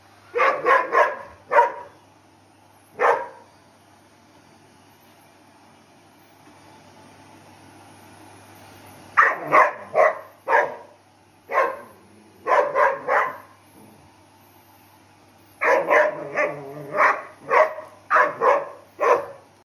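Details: Pet dog in Belgium barking at a running vacuum cleaner and leaping on and off the sofa; rapid bursts of sharp barks in groups of three to six, with quiet pauses between bursts.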